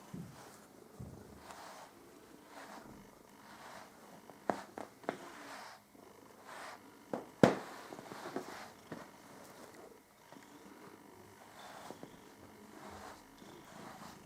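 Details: Püppi the cat purring during fur care, a low continuous rhythmic purr in a small room, punctuated by brief clicks and brushing sounds.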